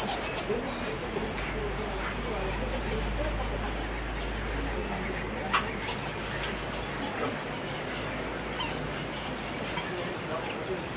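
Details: Fruit bats from a colony of about a million roosting in a large cave behind Goa Lawah Temple in Bali, some hanging around the outer edge; a dense, continuous high-pitched squeaking din with scattered sharper chirps throughout.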